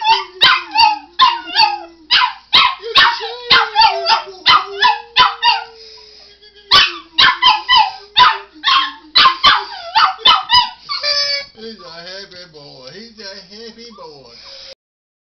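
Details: Dog responding to a man singing the word "you" by barking and howling: rapid loud bark volleys over his sustained sung notes, a brief lull, more barking, then drawn-out wavering howls toward the end.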